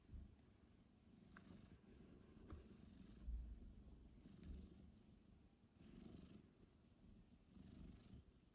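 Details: Indoors, a mother cat recovering from a difficult birth and surgery is reunited with her newborn kitten; a deep, rumbling purr runs on and off, with soft bumps, rustles and a quiet human voice.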